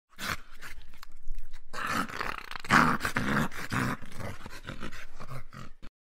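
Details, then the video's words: Dog growling: a continuous low, rough, rumbling growl with a throaty pulsing texture, lasting about six seconds and swelling louder around the middle before trailing off. "Dog Growling"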